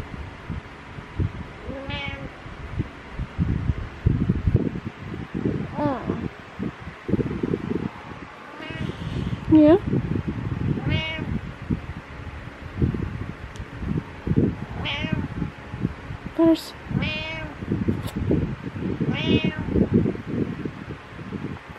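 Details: Cat on a pillow in the morning making about a dozen short, bent meows spread out over twenty seconds, mixed with a woman talking to it and steady rustling and handling noise.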